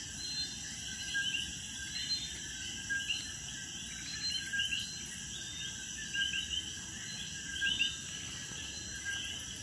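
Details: A night chorus of common coquis around a patio in Puerto Rico, hidden in crevices and bromeliads, gives short, chirping two-note whistles over a steady insect drone.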